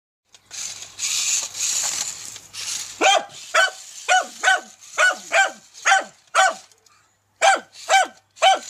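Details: Dachshund barking at a remote-controlled tarantula toy: after about three seconds of steady hissing noise, sharp, high, ringing barks start, roughly two per second in quick uneven bursts, with a short pause before the last few.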